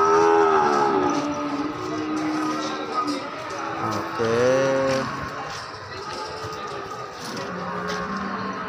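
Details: Simmental cattle, cows with calves aged three to four months, at the Ambarketawang cattle market. A long, drawn-out moo opens, a second moo rises then holds steady midway, and fainter lows follow over constant background music and murmured voices.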